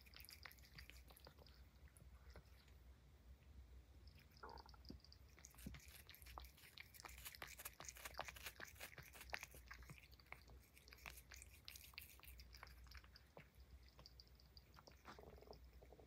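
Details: Banana peel being eaten by Puff, a Highland Lynx cat; sparse clicks give way to a long, dense flurry of crisp crunching and smacking bites in the middle, then slowing again toward the end, steady low hum throughout.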